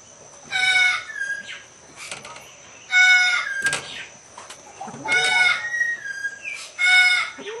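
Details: An Asian leopard cat mating with a Bengal cat gives loud, rasping, strained wailing yowls in bursts about every two seconds. Softer wavering calls fill the gaps, over a faint steady high hiss.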